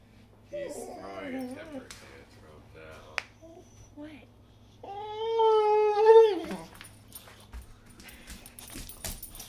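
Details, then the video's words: Hungry Boxer dog already fed chicken broth and kibble: a person talks in a small room, then the dog lets out a loud, sustained, slightly quavering whine over a second long that drops off at the end. "Dramatic Boxer Dog"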